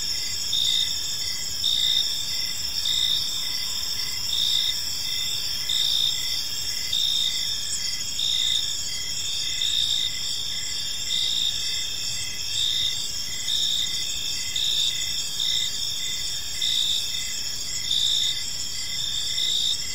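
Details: A steady evening chorus of crickets in a park, high-pitched chirps pulsing roughly every second or so over a continuous shrill hum, the background otherwise quiet.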